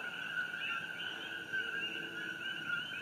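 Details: A nighttime chorus of common coqui frogs on Hawaii Island, June 27, 2018, during the Fissure 8 eruption, their high two-note chirps blending into a steady ringing drone.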